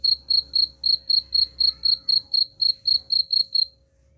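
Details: Shrill cricket chirping meant to scare off rats: around fourteen evenly spaced high pulses in quick succession, then the calling stops, leaving quiet.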